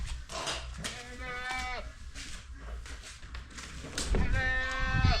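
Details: Goats in a Polish farmyard give long, wavering, nasal bleats, wanting to be let out while the chicken coop is aired after ozonation against red mites, with people talking nearby.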